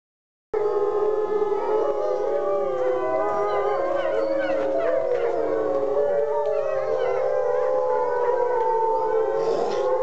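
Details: Several wolves at a wolf sanctuary howl together, long wavering tones overlapping and sliding up and down in a dense chorus.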